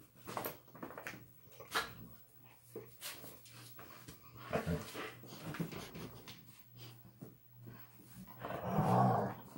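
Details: Indoor greeting ritual of puppies Ryder and Trinity with granny Kijodi: soft scattered growls, whimpers and scuffling noises, ending in a louder rumbling whine, over a constant low hum.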